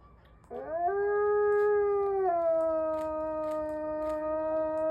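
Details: A Mexican wolf's steady howl begins abruptly with a rising slide, then holds a long, clean, harmonic-rich tone that steps down slightly and sustains, with a second voice layered above.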